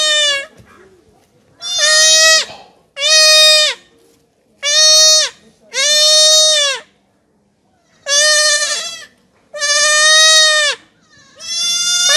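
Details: Goat kid being castrated keeps up a run of eight loud, evenly spaced bleats, each roughly a second long, with a harsh, buzzy timbre and brief silences between calls.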